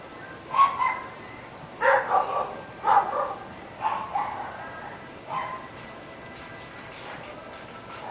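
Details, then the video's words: Repeated muffled barking from three dogs in North Bay Village, about one bark per second in uneven clusters, faint and distant, with a continuous high whine in the background. "Annoying Dogs"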